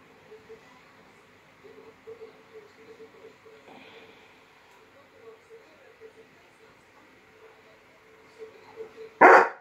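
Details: A Rottweiler puppy meeting a new young addition to the household: faint, short squeaky yelps repeat quietly, then a single loud, sharp bark from a Rottweiler ends the sequence.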